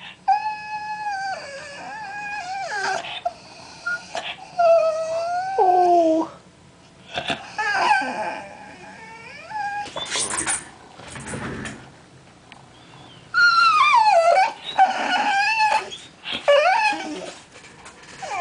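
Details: A 20-week-old Bull Terrier whines in drawn-out, wavering, high-pitched cries, protesting at not getting his way.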